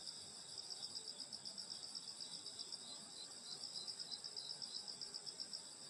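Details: On a summer countryside night by a grandmother's house, insects give a fast beaded high trill pulsing about four times a second above steady shrill ringing.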